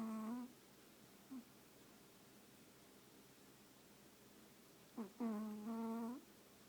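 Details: Chihuahua napping while snuggled into its owner's lap, snoring: a humming, nasal tone with a steady low pitch and stacked overtones, lasting about a second, with a second long snore about five seconds later, in a quiet indoor room.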